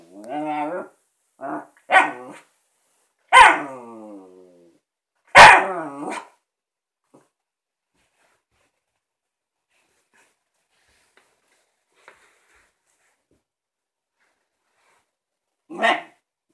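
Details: A Shiba Inu female barking at her new ball: a few short harmonic yelps and barks in the first six seconds, then near silence, with one more bark at the end. A person briefly exclaims.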